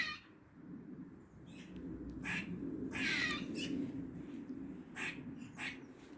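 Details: In a Dublin garden during the forenoon of 16 August 2023, a squirrel gives odd noises: fairly soft, breathy, rasping bursts, one drawn out over about half a second, against a constant low rumble.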